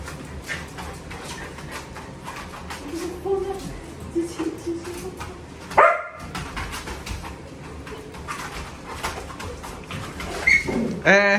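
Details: Indoor dogs, excited on seeing the whelping box, give high rising whines and yelps with ringing overtones, one sharp cry near six seconds and a burst of whining at the end, over Vietnamese talk and household clatter.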